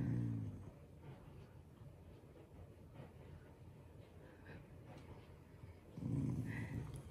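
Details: A pet Shiba Inu, growling playfully and affectionately toward its family rather than in anger, gives a short low rumbling growl at the start and another near six seconds, with quiet breathing between.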